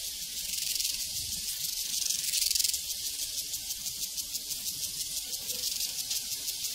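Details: Many crickets chirping together on a prairie, a bright, shimmering high trill with quick pulses of about three per second riding over the constant drone.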